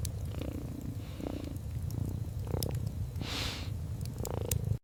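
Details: Cat asleep by the crackling fire, purring softly: a low, even rumble pulses with breathing roughly every second. There is a louder airy breath near the end and sharp wood-fire snaps throughout.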